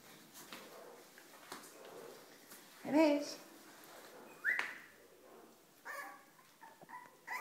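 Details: Cavalier King Charles Spaniel puppy, 36 days old, exploring its home indoors: a short wavering whine, then a brief rising squeak, with soft household noises and a person's voice nearby.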